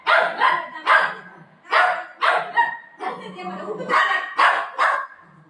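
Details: Family pet dogs Buzo and Milo, a golden retriever and a shih tzu, fighting over their mummy: a run of rough, noisy barks in uneven bursts roughly every half second, with people talking between them.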